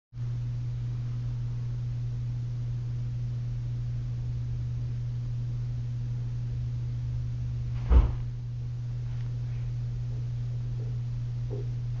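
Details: A steady low electrical hum runs throughout, broken by a single sharp knock midway.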